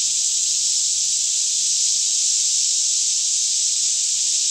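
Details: Many cicadas sing together through a Kentucky forest near Franklin around 10am in calm air, recorded with a Canon 5D Mk2; an unbroken, shrill, even buzzing wash, very high in pitch, holds constant from start to end.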